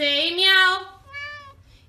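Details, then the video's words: Domestic cat giving a loud, harsh, rising meow that fades out, followed by a softer, shorter meow. "FUNNY talking cats"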